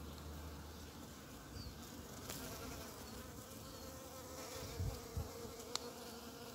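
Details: Early-spring bumblebee among snowdrops and primroses: a continuous low buzzing hum with stacked harmonics, a few sharp clicks and knocks near the end, otherwise calm outdoor background.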